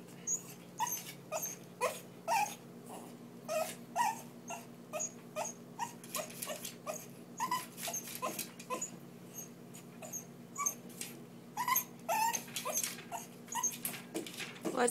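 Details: A female Lhasa Apso begs to be let out with short, high whines and yips repeated about twice a second.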